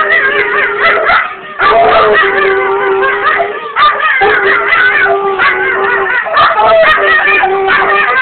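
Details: Two dogs, Sophie and Fenway, a basset hound and a Jack Russell terrier puppy, howling at a playback of themselves on a cellphone: long, steady, overlapping howls with wavering upper tones, each lasting one to two seconds.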